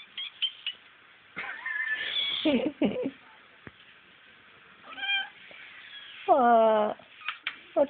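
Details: Frank, a female cat and former mother, reacting to the sound of a crying kitten: scattered short mews and a loud drawn-out falling meow near the end, mixed with a person's coaxing speech.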